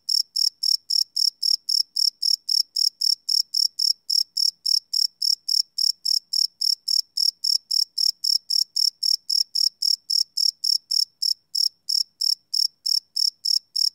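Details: Live night recording of crickets made with a Sony PCM D100: an unbroken, fast run of bright high-pitched chirps, close to four per second for fourteen seconds, over complete background silence.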